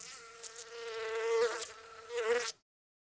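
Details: Bee in a flower setting, buzzing close by in a continuous hum with strong overtones, the pitch wobbling and rising briefly twice, then cutting off abruptly into silence.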